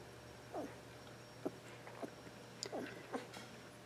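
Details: Bailey, a Border Collie puppy two weeks old from Eastwillow Border Collies, born April 18th 2014, makes a handful of quiet, short, downward-sliding squeaky whimpers spaced about half a second apart, over a low steady hum.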